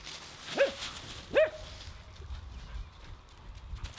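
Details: Two quick, bright barks less than a second apart from Nora the Husky as she plays in a pile of leaves, then quieter rustling.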